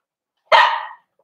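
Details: Single loud bark from a Cavalier King Charles Spaniel during a socialization session bringing older dogs to meet the puppies indoors; abrupt onset, roughly half a second long, tapering off, followed by silence.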